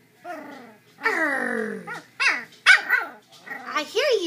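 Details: Chow Chow puppies almost three weeks old, newly up and walking indoors; a long drawn-out whine sliding downward, followed by several quick squeaky yelps and an arched whimper, a woman murmuring nearby.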